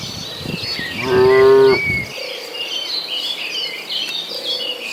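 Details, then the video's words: One steady, drawn-out moo from cattle in a herd driven toward green pasture, under a second long, followed by chirping birds and faint insect buzz. "Suara sapi lucu riang gembira"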